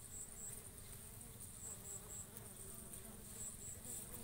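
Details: Bees working coconut flowers, pollinating and eating: a dense, steady low hum with soft overtones fills the short recording. Pairs of sharp, high ticking chirps sound every half second or so.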